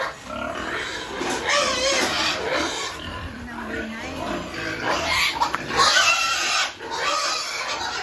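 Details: Piglets being weaned from the sow on an integrated family farm in Penablanca, Cagayan Province; dense, overlapping harsh squeals and grunts fill the recording, with people talking throughout.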